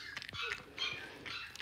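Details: Blenheim Cavalier King Charles Spaniel puppies, two weeks old, from a litter of five, in their puppy pen during potty training; quick, high-pitched squeaks and whimpers follow one another closely, with small thumps between them.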